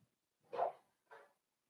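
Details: Four-week-old Cavalier King Charles Spaniel puppies from Daisy's litter in an indoor puppy pen; two short, rough yips, the first louder and longer, the second softer, in a quiet room.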